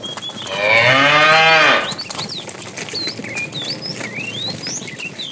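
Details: Moo of a fat tame cow calling the female as the herd is moved in the afternoon; a loud, slightly rising bellow lasting just over a second, then many small birds chirping and twittering nearby.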